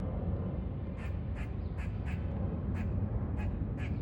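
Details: A squirrel gives a series of short, harsh, quacking barks as warning noises while sniffing a peanut.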